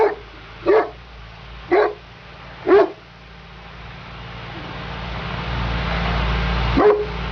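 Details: Female Neapolitan Mastiff working as a guard dog; three deep, evenly spaced single barks about a second apart, then a rising rumbling engine-like noise and one more bark at the end.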